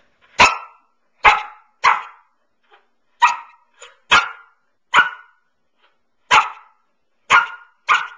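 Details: Indoors on her favourite couch, nine-month-old Samoyed Pearl lets out a string of about ten sharp barks at uneven intervals, with a few softer huffs between them, in an otherwise silent room.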